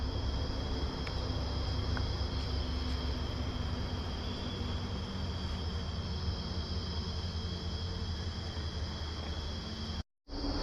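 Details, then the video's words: Crickets chirping in dense forest along a path cut through the jungle at Simlipal, Odisha, a steady high thin drone with a faint whistle-like tone throughout, over low rumbling background noise, cut short near the end. "আর একবার ঝিঝি পোকার সাউন্ডটা শোনো।"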